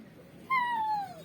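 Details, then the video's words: Dog in a home giving a single thin, whistle-like whine that starts abruptly and glides slowly downward for under a second, while its owner, speaking Tamil, refuses to take it out and tells it to go lie down. "my dog is talking"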